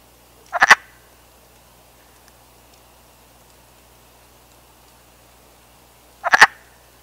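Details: A male wood frog calling from the water to attract females during the spring breeding season in North America; two short, raspy clucking croaks about six seconds apart over quiet background.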